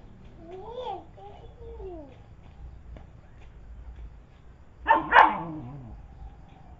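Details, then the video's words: Fighting village dogs in Indonesia give two bending, whining cries, then after a quiet stretch a sudden harsh double bark-yelp bursts out and falls away into a descending whine. "anjing kampung brantem"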